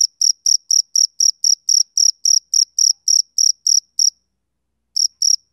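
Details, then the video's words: Male cricket on a summer evening: sharp, high chirps about four per second, broken by a silent gap of nearly a second before the chirping resumes. "Cricket Chirping Sound"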